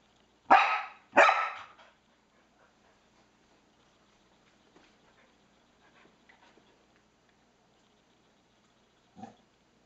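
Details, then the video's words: A Norwegian Elkhound indoors gives two sharp, loud barks in quick succession at a PS3 pointer, then falls quiet. "Elkhound Dog Barking at PS3"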